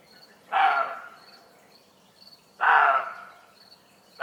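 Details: A roe deer in Germany gives harsh, hoarse barks about two seconds apart at 1:30 am, an alarm when disturbed, likely unsettled by humans or animals.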